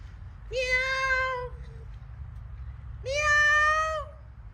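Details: Cat at home in Jamaica on a sunny day, giving two long, steady, fairly level meows about a second each, spaced roughly two seconds apart, over a low background rumble.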